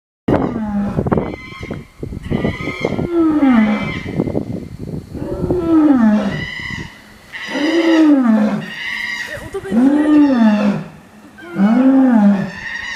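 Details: Captive nine-year-old female lion at Itozu no Mori Park zoo, roaring loudly while hungry before feeding time: a series of deep, arching moaning roars repeated about every two seconds, echoing around the enclosure.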